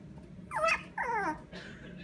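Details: An energetic young Toy Poodle gives two short, high-pitched yapping barks with a whiny, falling edge.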